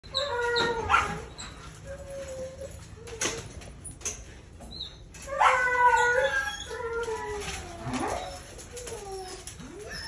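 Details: Red-brown Siberian Husky during breeding, giving wavering, whiny harmonic cries in short bursts, some sliding downward, mixed with sharp clicks and knocks and a steady high background hiss.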